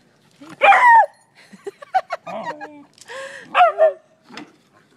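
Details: Beagle named Mango, a surfing mother dog, playing with her four-month-old puppies Monte Burns and Ron Burgundy on a Costa Rica beach; several sharp barking yelps with shorter yips between, close and loud.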